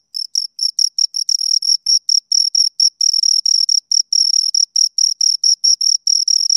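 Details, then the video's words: High, piercing cricket chirps from two crickets, starting in separate short bursts then crowding into longer rasping runs, irregular spacing, close and loud with a clean silent background. "Two Crickets Chirp Sounds"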